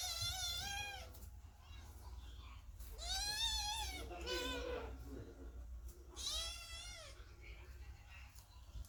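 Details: Kittens crying under the door as the cat Chloe gives birth, anxious for their coming siblings; several long meows with rich harmonics, one rough lower cry, over a constant low rumbling room hum.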